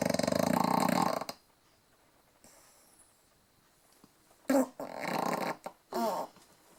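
An English bulldog snores in loud, rattling, buzzy bursts separated by quiet pauses.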